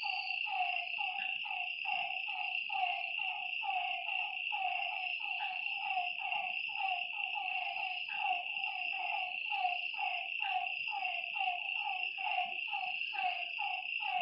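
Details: A night frog chorus beside a lake: steady streams of short, harmonic, downward-gliding croaks from several callers, set against an unbroken high whine.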